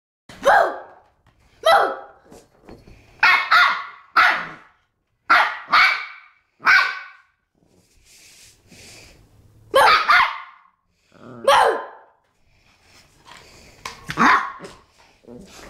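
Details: Pomeranian puppy playing and rolling around at home with its toys, giving sharp, high barks in short separate bursts about once a second, roughly ten barks with brief silent gaps between them.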